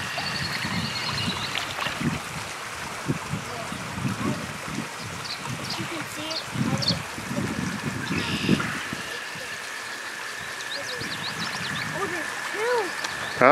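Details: Toads give a long, steady, high trill in mid-May in Sudbury and Maynard, Massachusetts, where watersnakes are being searched for, behind close talking and trickling water.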